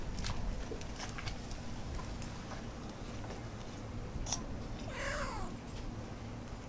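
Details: Stray cat eating dry kibble behind a building lets out one short meow falling in pitch about five seconds in. Scattered sharp clicks come earlier, over a steady low background rumble.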